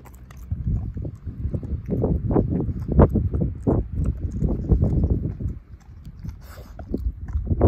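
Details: Ozzie, a dog, chomping through a pork steak and mashing the bone; rapid run of loud crunching bites, several per second, easing off into softer gnawing near the end.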